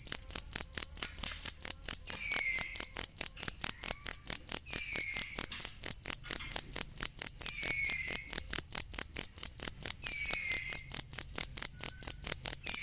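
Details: Masteran material for songbirds, a cricket calling: shrill chirps repeated roughly twice each second without pause, plus a gentle descending whistle about every two to three seconds.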